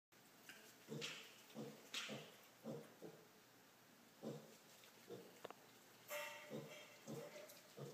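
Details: A five-week-old piglet, indoors and jumping up onto furniture to reach a person, gives short soft grunts, repeated roughly every half second to second, with some louder bursts and light household noise.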